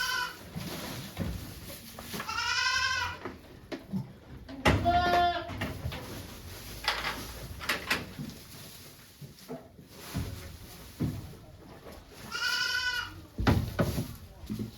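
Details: Goat at a Japanese farm on 3 May 2023, around the time of giving birth to two kids with volunteers watching; bleats with strong harmonic stacks near seconds 2, 5 and 12, between quiet Japanese speech and handling noises.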